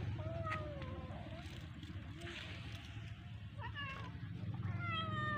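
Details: Domestic cat playing with a fish; several wavering, falling meows near the start and again toward the end, over a steady low engine hum with faint voices.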